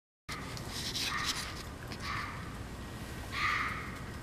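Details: A fox barks in the woods late at night, giving a few hoarse, harsh barks spaced a second or so apart over a hissing background.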